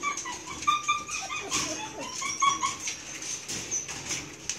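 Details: Eight Belgian Malinois puppies at milk feeding time give high, thin whimpers and squeaky yips, several short tonal cries in quick, irregular succession over soft broadband rustling.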